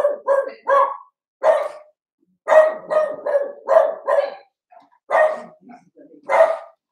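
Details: Overnight on 8/27, young Cavalier King Charles Spaniel puppies (Cooper, Conner and Jenny, born 06/09/2022, Ruby and Blenheim coats) give a string of high, yappy barks in irregular bursts of two and three, with short pauses between.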